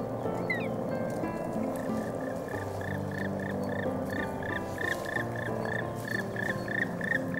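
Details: A large breeding group of common frogs mating and laying spawn gives a chorus of short, clipped croaks, about three a second, quick and uneven, over a steady low rumble.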